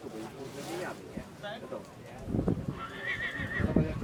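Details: Polish Draft stallion, born 2019: low thuds and murmured voices, then a brief high, wavering whinny lasting under a second over heavy thumping sounds.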